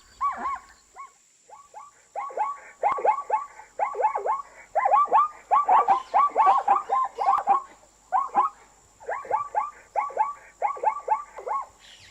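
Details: Long, busy stretch of zebra calls. Yelping, wavering barks repeat rapidly in dense runs that swell to a harsh, overlapping peak midway, then continue in clipped bursts over a faint steady hiss.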